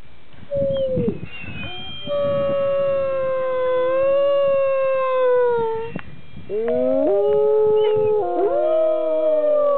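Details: Dog howling along with its owner; overlapping sustained wavering howls, two voices layered in the second half, falling then rising in pitch, with faint background rumble.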